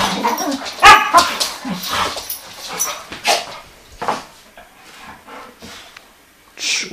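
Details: Male Golden Retriever and female Beagle in a friendly play-fight: bursts of short, rough barks and growly yelps come irregularly, loudest early on, fading to quieter grumbles, with music playing in the background.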